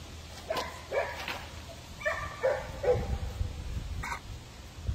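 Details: Puppies playing, giving a string of short, sharp barks and yips in irregular bursts, several close together, over a low background rumble.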